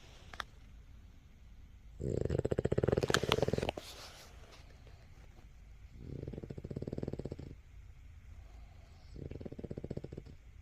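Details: A sleeping Boston Terrier snores in low, rattling bursts, each breath a rough rumble lasting one to two seconds.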